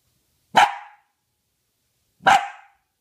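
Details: Female Dachshund learning to count, barking on cue: two short, sharp barks about 1.7 seconds apart, indoors, with a person praising her between them.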